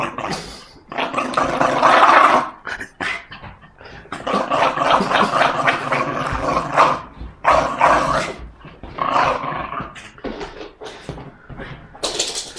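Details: Aggressive Jack Russell Terrier playing tug of war, giving rough, snarling growls in harsh broadband bursts with short yapping barks, while a man keeps saying "no way" and "go away" over it.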